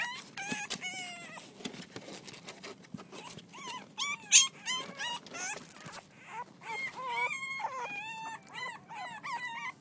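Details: Reddy's six-week-old French Bulldog puppies playing together, producing a steady tangle of squeaky yips, bent whimpers and short howl-like whines from multiple pups, loudness rising and falling throughout.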